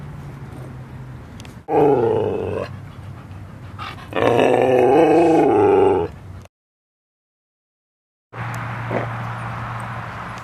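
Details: Playful growling from dogs at Seal Point Dog Park, San Francisco Bay, February 10, 2015, during play between Rosy and Rocky: two drawn-out, rough, harmonic growl-whines lasting one to two seconds each, separated by background noise and a silent gap.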